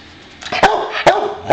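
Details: Bowser the boxer, a pet dog who wants to play, barks three times in quick succession, each bark short and punchy, roughly every half second.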